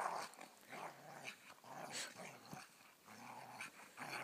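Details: Dogs fighting: continuous rough, buzzy growling and snarling in uneven pulses, with a louder snarl burst near the middle and more toward the end, over scuffling noise.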